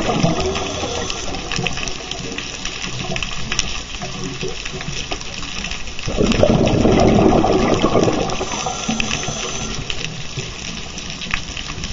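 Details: Steady water noise fills the recording, with a louder gush and splash partway through. Faint human voices sit underneath, and no animal calls can be picked out.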